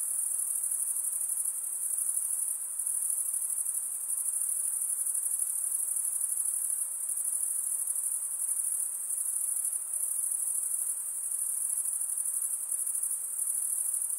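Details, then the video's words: Nighttime insects keep up a continuous piercing high trill, with small dips in loudness every few seconds and a soft low hiss in the background. "night insect sounds"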